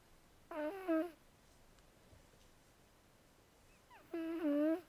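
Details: Zoey, a female house cat, snoring while asleep: two tonal, harmonic-rich snores with a nasal quality, each about half a second long and spaced about three and a half seconds apart, in otherwise quiet surroundings.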